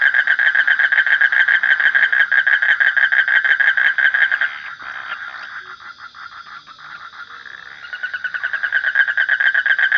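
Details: Frog calling in a fast, steady, rasping pulsed trill at a mid pitch, with a softer, fainter stretch in the middle before the loud pulsing resumes near the end.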